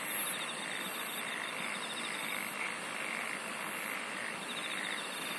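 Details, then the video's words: Insects sing steadily with a thin, high, ringing trill and faint shrill buzzes. Lower pulsed calls swell softly, and an unbroken hiss of background chorus fills the short stretch. "SINGING OF INSECTS"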